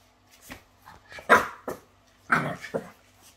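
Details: French Bulldog indoors, in a small room, giving a string of short barks and yips, two loud harsh bursts standing out among softer whimpering sounds over about three seconds.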